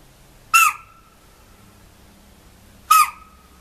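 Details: Chital, or spotted deer, in a forest giving alarm calls: two sharp, shrill barks about two and a half seconds apart. Each starts as a harsh burst, then falls to a clear tone that rings on briefly. The background is otherwise quiet.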